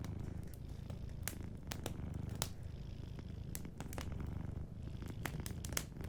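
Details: A cat asleep near a fireplace purrs in a low, even rumble while sharp pops and crackles from the burning fire punctuate it every second or so.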